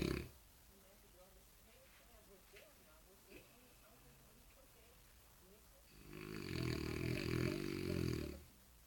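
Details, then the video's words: Jean Paul, a French Bulldog, performs a snore on cue: several quiet seconds with faint murmurs and a soft knock, then a loud buzzy, rasping snore lasting about two seconds near the end. "Bulldog Francês- Jean Paul Supercão ensinando a roncar de dengo"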